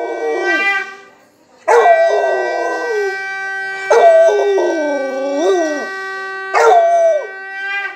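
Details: A Rottweiler howls in long, wavering rising and falling notes, "singing" along with a steady, blaring conch shell during the evening aarti.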